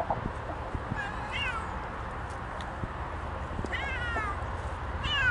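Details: On a rainy forest walk, Siamese cats Otani and Yozora keep talking after their creek jump: three quiet, sliding meows about two seconds apart over steady rain hiss.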